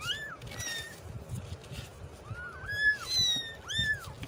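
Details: Kittens mewing: short rising and falling high cries, several overlapping near the middle and a final bright mew, over a steady low background hum.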